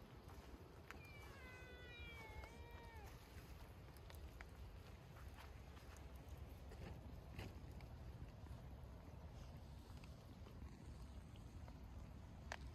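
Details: Soaking-wet community cats, a ginger cat wanting attention from a tabby that mostly ignores it: a short run of several thin, wavering meows early on, heavily masked by constant loud rushing noise with occasional clicks.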